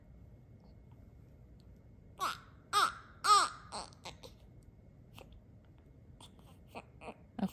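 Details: A baby's short babbling cries and fussing sounds come in bursts indoors over a quiet background, with no animal voice.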